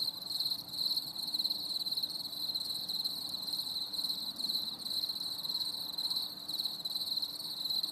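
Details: On a stormy summer evening, many crickets trill together in an unbroken, shimmering high-pitched chorus, pulses overlapping evenly, with a soft low rumble in the background.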